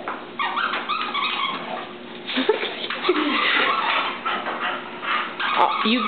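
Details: Oliver, a Boston Terrier, plays with Gracie, a chow and collie mix. Short whimpers and yips break through dense, overlapping human speech as a woman urges the dogs on.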